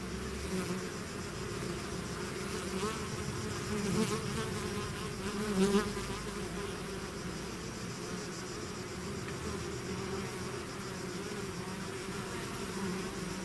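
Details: Bee swarm leaving the hive, its many-winged drone filling the air as a constant low hum, swelling slightly louder twice around the middle before settling back to an even buzz.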